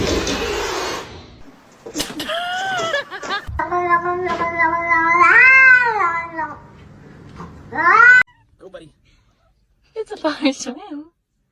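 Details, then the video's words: Kitten meowing indoors: a long, drawn-out wavering meow that rises and falls, followed by a short sharp meow and fainter mews near the end, with people laughing and talking around it. "kitten meowing call"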